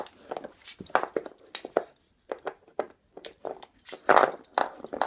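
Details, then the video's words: Dog making pig-like noises while chewing on an antler indoors: irregular bursts of short, rough, snorting grunts and snuffles separated by brief pauses, louder toward the end. "making pig noises while chewing on an antler"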